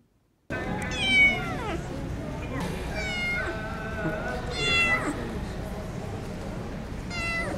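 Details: A rescued one-year-old Persian cat, once abandoned as a sick kitten in winter cold, gives several harmonic meows that bend downward, spaced a second or two apart, over steady background hiss.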